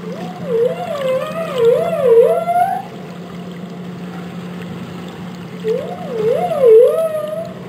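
A humpback whale gives wavering, moaning tonal calls that swoop up and down in quick undulations.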